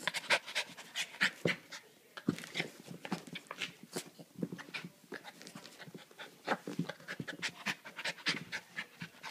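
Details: Panting from Astra, a Havanese puppy playing with her dog walker and giving kisses on a mid-day visit: rapid, rough, breathy huffs come in uneven clusters, with soft snorts and licking sounds between them.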